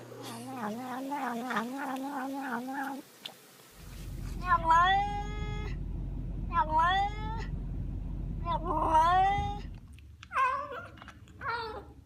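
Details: Domestic cat making strange, crazy noises indoors after being told off for eating fake plants: a rapid pulsing warble at first, then repeated loud, bending yowls over a low background hum.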